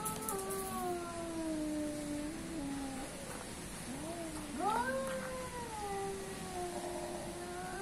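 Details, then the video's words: Two cats, Asian versus African, in a standoff. Overlapping, quavering caterwauls rise and fall in pitch, a long low wail answered by a higher, scooping yowl, against steady background hiss. "ASIAN CAT vs AFRICAN CAT"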